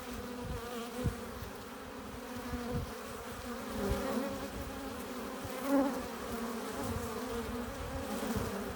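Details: At the entrance of a bee hive, honey bees return loaded with pollen and nectar, producing a constant layered buzz; a single bee swells louder near six seconds above the steady colony hum.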